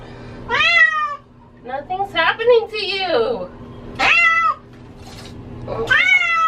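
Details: Pet cat that hates water, meowing while being given a bath indoors: loud, harmonic meows that rise then fall, about a second each, spaced irregularly, with a person's calm reassuring speech between them and a steady background hum.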